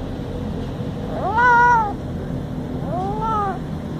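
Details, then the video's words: Very cute little cat meowing twice: a loud, drawn-out arched meow followed by a softer, shorter one about one and a half seconds later, over low background hum. "Cute Cat Meowing"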